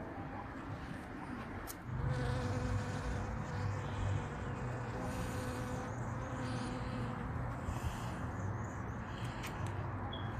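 A bee's low, steady buzz drones on, with a few faint clicks and soft background noise.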